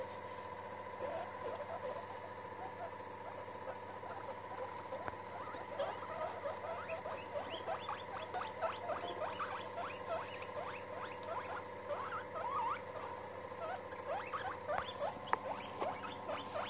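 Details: Several pet guinea pigs gathered together, meeting one another. A steady stream of short, quiet, rising squeaks runs throughout, packed closely with faint patter in the background.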